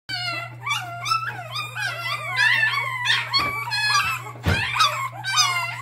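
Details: Puppy on its seventh day of bottle feeding, whining insistently: high, wavering cries that bend up and down in pitch, overlapping and following one another without pause, with a steady low electrical hum underneath throughout.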